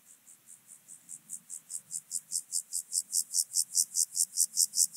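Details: Alpine grasshopper, Obir, Austria, 30 July 2022: a regular train of high, raspy syllables at about five per second, rising gradually from quiet to loud, with a faint low hum underneath.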